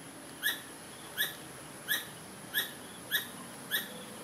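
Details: A squirrel gives short, sharp chirps repeated about every two-thirds of a second; the owners think it is a mother calling for a missing baby.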